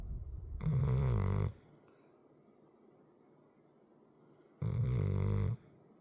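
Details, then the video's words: Heavy 100 lb dog asleep indoors, letting out two loud, throaty snores roughly four seconds apart, each under a second, separated by near silence. "my dog snoring"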